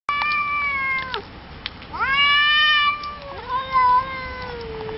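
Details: Cats yowling at a night-time meeting: long, drawn-out wailing cries with rich harmonics, sliding up then holding and slowly falling, one voice answering another in overlapping bouts.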